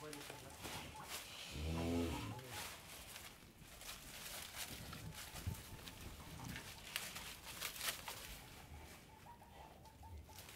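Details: On an Indian dairy farm, a cow lets out a single low, droning moo near the two-second mark, while people talk and scattered farm noises and knocks continue behind it.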